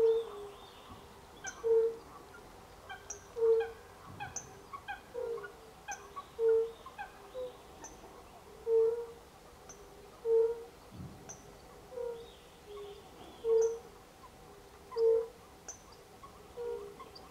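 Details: European fire-bellied toads in late March 2024 keep up a steady series of soft, fluty low notes about every one and a half seconds, several voices overlapping, with frequent high bird chirps and twitters behind.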